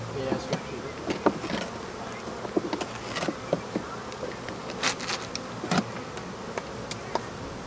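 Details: African honey bees buzzing while their hive is pulled apart and removed, a low diffuse drone broken by frequent sharp knocks and clatters as boards are struck and fall.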